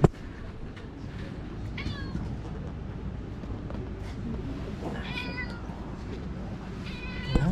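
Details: Stray black-and-white cat in an air-conditioned waiting room during a severe heatwave; three short, bright harmonic meows rise and fall, spaced a few seconds apart, over a steady low hum.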